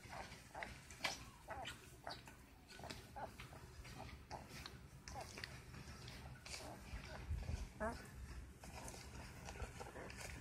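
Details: 10-day-old Great Dane puppies squeak, grunt and whimper, with one thin rising whine.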